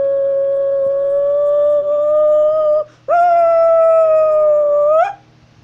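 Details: Howling wolf from North Eurasia, walking as it calls: two sustained, pure-toned howls separated by a short breath, the second starting with a quick rise and ending in an upturned break, over a faint steady low hum.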